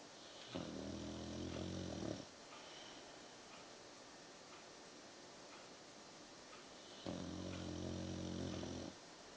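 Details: Victorian Bulldog asleep, snoring in slow, low, buzzing rumbles lasting about one and a half seconds each, separated by roughly five seconds of quiet breathing and steady room hiss.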